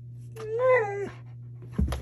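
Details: Siberian Husky demanding candy indoors: one drawn-out whining, slightly rising then falling vocal lasting under a second, followed by a brief rustle, over a steady low electrical hum.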